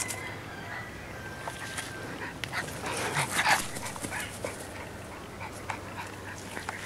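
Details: English Bulldog puppies Alexia and Agatha, 8-11-12: brief high thin whimpers early on, then a louder scuffling burst midway with soft yips, all over a constant low electrical hum.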